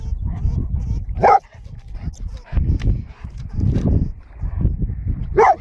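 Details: While hunting a lemming, a Golden Retriever gives two sharp barks about four seconds apart, separated by low thudding and rustling noise.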